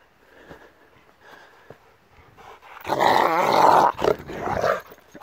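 A Rottweiler lets out a loud, rough burst of snarling barks after a quiet start.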